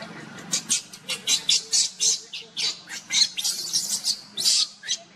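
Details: Luna the monkey carries Luno at a run as Rainbow tries to pull Luno away; a rapid string of shrill squeals, roughly three a second, sounds over a low steady hum.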